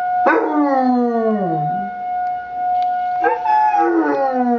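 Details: A young Basset Hound howls with the weekly emergency test siren. A long, falling howl drops into a low moaning tail, and after a short pause a second howl rises and wavers, all over the siren's constant steady tone.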